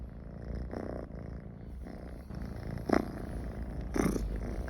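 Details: Cat Michi, comfortable near people, gives a low rumbling purr with a few breathy inhalation bursts around the third and fourth seconds, in a quiet indoor setting.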